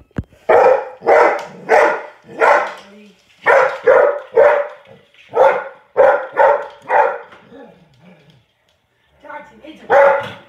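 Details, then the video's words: Springer spaniel barking at a robot toy it takes for a real robot and tries to attack: loud, broadband barks in quick bursts of two or three, with short pauses, then a brief gap before a last bark. "The Springer Spaniel Barking At WowWee Robosapien"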